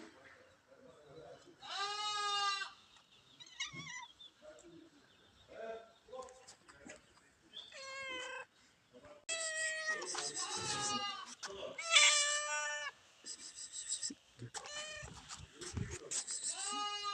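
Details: Cats being fed, calling insistently: bursts of harsh, wavering meows, often two or more at once, growing denser and louder in the second half, with clattering and rustling between them.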